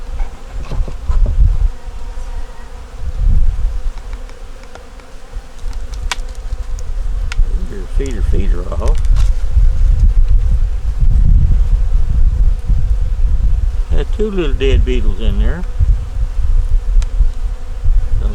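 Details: Winter honey bee colony in a nuc, opened for inspection; a dense steady hum fills the recording with fluctuating loudness, low rumbling, and two short stretches of human speech over the drone.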